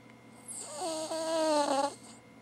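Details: A female Cavalier King Charles Spaniel snores with her tongue hanging out, giving a single drawn-out, breathy rattle lasting over a second.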